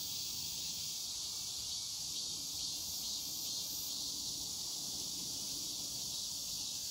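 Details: Cicadas at Semiwon, Yangsu-ri, South Korea, on the afternoon of Wednesday 14 August 2019 give a dense, steady, high-pitched buzzing drone that never breaks, with no other clear sounds above it.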